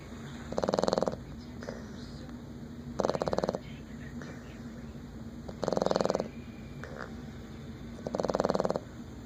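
A Boston Terrier snores loudly, each rattling breath coming about every two and a half seconds.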